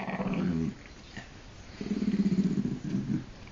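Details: An old, deaf Jack Russell Terrier growls indoors, unhappy at being found; low rumbling growls come in two bursts, the second longer and pulsing, with a man's voice telling the dog to get down and go to its bed.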